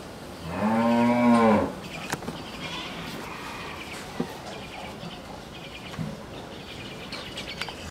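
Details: A bull offered for sale at Mrittika Dairy Farm in Bhangura, Pabna, Bangladesh, gives one long, steady, rich-toned moo lasting about a second, followed by quiet farmyard background with occasional clicks and knocks.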